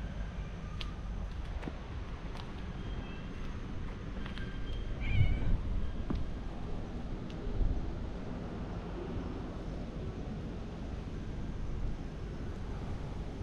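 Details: A family of three cats walks together outdoors and turns wary when approached for play. Soft, faint meows rise briefly above a steady low rumble of wind and distant traffic.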